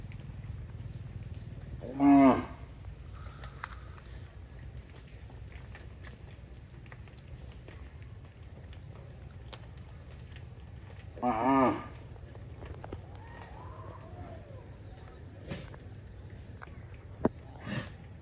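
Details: A cow running back to the barn lets out two loud, deep moos about nine seconds apart, each rich and harmonic, with faint clicks and light background noise between them.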